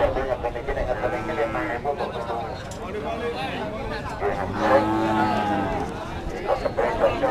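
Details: Javanese cattle kept for breeding at the Pasar Sapi cattle market in Pati, Central Java; a deep, drawn-out moo with rich harmonics rises midway, surrounded by steady chatter of people and passing vehicle noise.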